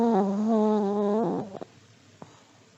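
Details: Elderly Pomeranian asleep, giving a steady, humming, nasal snore at a low, even pitch for just over a second, then a brief wavering tail and quiet breathing.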